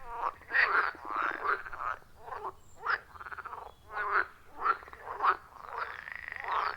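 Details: Frogs at a forest pond deep in the forest, recorded with iPhone 14 Pro plus Shure MV88+: rough, buzzy croaks repeated about every half second, two or more callers overlapping in a close chorus.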